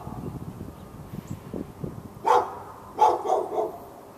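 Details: In Raleigh, North Carolina, on February 15, 2012, a fenced-in dog keeps barking at a neighbouring dog. Soft low noises are followed by three loud, clipped barks in quick succession in the second half, with a quiet rumble underneath.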